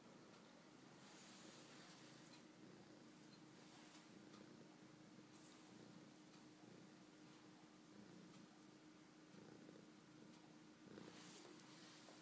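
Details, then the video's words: A tortoiseshell office cat in Minnesota purrs softly and steadily in winter while kneading a warm stocking cap, a low continuous rumble with a gentle pulsing rhythm. "Tortie the Office Cat Purring"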